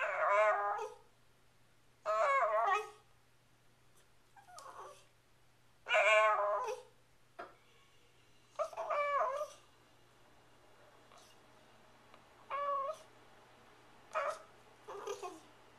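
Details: Pet Shiba Inu Sachi, female, insisting on dinner indoors by the fridge, recorded April 23, 2010; bursts of wavering yowls and whines, several strong harmonic cries followed by softer, shorter ones.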